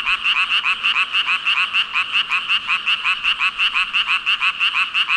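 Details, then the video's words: Huge gathering of frogs calling together, quick rhythmic ribbit pulses nearly three per second, layered into a dense ringing chorus with no pauses and no other clear sounds. "개구리 수천마리 개굴개굴 울음소리 | 물멍 | 🐸 5,000 frogs ribbit-ribbit"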